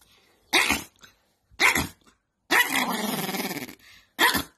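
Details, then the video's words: Angry domestic dog giving two sharp, explosive barks, then a long rough snarling growl with a pulsing rhythm lasting about a second, and one more bark at the end. "Angry Dog"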